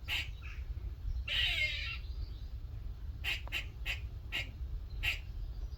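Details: In a workshop one morning, a little squirrel chats with a hoarse, drawn-out rasp followed by a quick run of five or six clipped, barking chucks. A constant low rumble fills the background.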